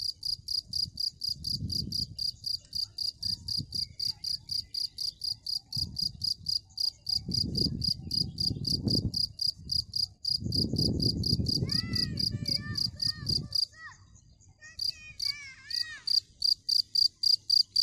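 A cricket chirps steadily, a high, ringing pulse repeated about four times a second.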